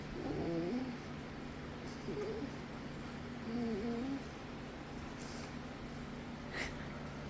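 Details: Pet dog Windsor, petted by Bug next to Kahlua, voicing unusual never-before-heard noises: a few softer wavering, whimpering moans in brief bursts near the start and middle, then quiet with a steady low hum and a faint click.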